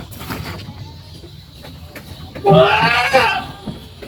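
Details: Goat kids playing in a pen: one loud, quavering, nasal bleat begins after about two and a half seconds and lasts almost a second, preceded by quieter low rustling and muffled background noise.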